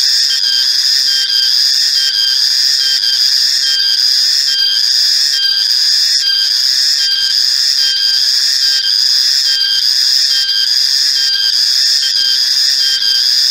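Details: Shrill high drone of a male cicada (reriang, riang-riang), loud and constant, broken by short regular pulses a little under once per second throughout.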